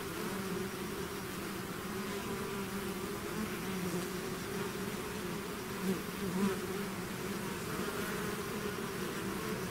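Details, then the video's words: Constant humming of a honeybee swarm emerging from its hive; a thick unbroken drone with a couple of closer bees flicking past after the midpoint. "bees therapy swarm natural buzzing sound"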